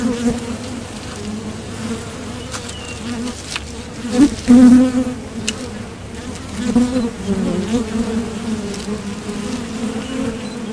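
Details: Honeybees buzzing at the entrance of a Top Bar Hive as foragers leave and land while going for nectar; a steady low hum with a faint overtone above it, swelling loudly around the middle as bees pass close.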